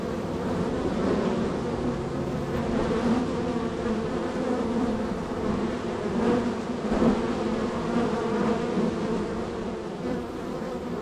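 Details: Extremely active honey bees at the third hive in a row, with entries and departures; a constant low-pitched hum from the crowded colony, with occasional louder buzzes of bees flying close by.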